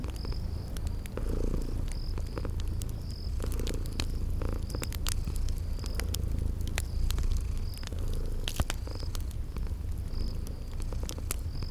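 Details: Deep continuous purring from sleeping kitties beside a crackling fireplace, spring garden setting; the low rumble stays even while dry pops and snaps of burning wood and regular high-pitched chirps sound above it.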